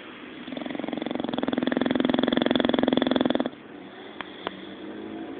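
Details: Sleeping bulldog Zé, dreaming as he snores, gives a sustained buzzing rattle of fast regular pulses that grows louder and cuts off sharply after about three seconds, followed by two faint clicks in the quiet.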